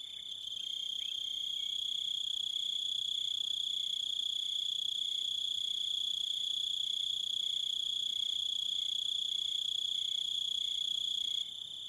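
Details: Crickets chirping, one loud unbroken high-pitched trill with shrill overtones, with a second, lower cricket giving short regular pulses about twice a second underneath; the sound fades in at the start.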